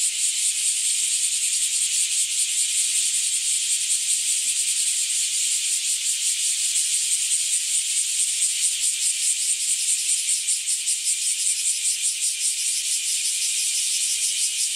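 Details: Bear cicadas in full chorus near a residence on a hot day. A loud, grating, high buzz pulses quickly and rhythmically, its throbbing becoming more pronounced in the later seconds, with no other sounds standing out.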